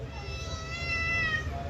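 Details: Mufasa, a pet cat, answers its owner during a back-and-forth in Telugu: one long, steady, tonal meow of about a second and a half, with low background rumble.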